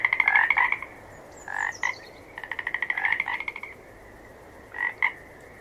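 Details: Frogs croaking: a loud rapid trill, a double croak, another pulsing trill rising in strength, then a final paired croak after a pause, over a constant background frog chorus.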